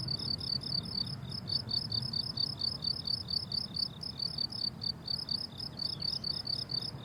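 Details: Crickets calling on a blooming summer meadow: dense, regular high-pitched pulsed chirps with a ringing upper overtone, steady throughout, over quiet low background noise.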